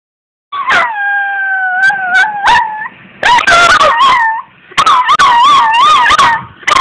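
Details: Puppy named Minako howling for fun, recorded April 2, 2012: long steady tonal howls near one pitch, then wavering, warbling yips and broken howls with sharp clicks between phrases.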